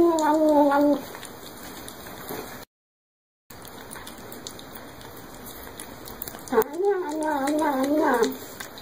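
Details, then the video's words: Eating cat giving a level meow at the start, followed by a stretch of crackling, rain-like noise and a steady hum, then a quick run of short, wavering meows near the end. "面白い猫と子猫を食べながら鳴きながらYUM YUM YUMを言って"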